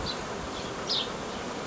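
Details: Swarm of honey bees in a hobby apiary, recorded 18 May 2018 during care of the swarm; even, continuous droning hum, broken by one bright descending chirp near the middle and a fainter one at the start.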